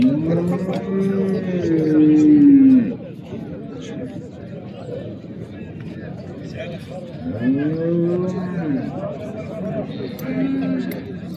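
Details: Calves, small and large, at the Saturday livestock market of Settat, Morocco: a long, loud, wavering moo, then a second shorter bellow and a fainter one later, with men talking nearby.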